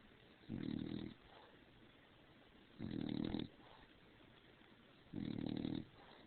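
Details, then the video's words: Dog snoring after getting overheated under the bed covers: three grating, wheezy snores of about half a second each, evenly spaced about two and a half seconds apart, otherwise quiet. "Do Snore"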